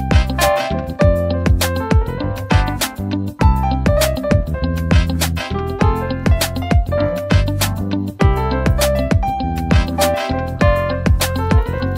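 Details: Steady instrumental music with piano and keyboard chords over a firm rhythmic beat, with no animal voice anywhere.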